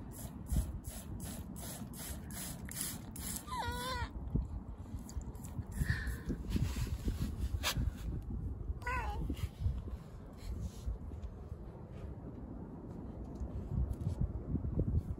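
A Budgett's frog gives two short, wavering, meow-like cries over a low background rumble.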